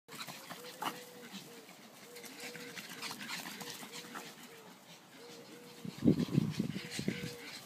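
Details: Three dogs, Leah, Sonny and Taffy, playing together in a garden; a steady run of short low tonal pulses, then a rough burst of growly barks near the end, with faint rustling behind.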